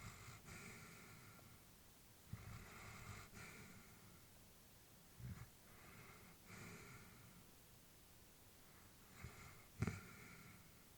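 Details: Elderly female Labrador Retriever asleep indoors: soft, airy breaths with faint low snoring, repeated every few seconds, plus a couple of small snorts or sniffs.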